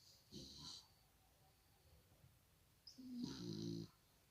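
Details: English Cocker Spaniel puppy snoring indoors; two rasping snore breaths about three seconds apart, each with a thin whistling overtone, in a quiet room.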